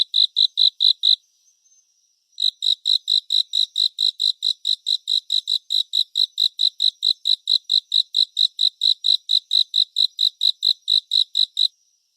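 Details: A cricket's high chirps in a surround-sound relaxation track. A few pulses, a pause of about a second, then a long regular run of sharp chirps at roughly four per second. No background noise.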